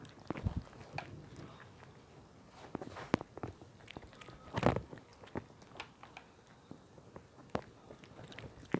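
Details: Puppy named Smile eating: irregular crunchy chewing and biting clicks scattered throughout, with one louder, longer crunch near the middle and soft low thumps between bites.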